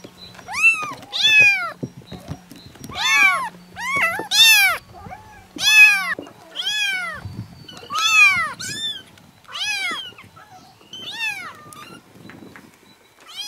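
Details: Series of shrill kitten mews, each rising then falling, given roughly every one to two seconds, a low steady hum beneath.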